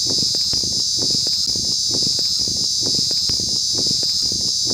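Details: An insect locally called Chi Chi Poka, possibly in West Bengal, gives a continuous, shrill, irritating high-pitched buzz that holds steady without a break.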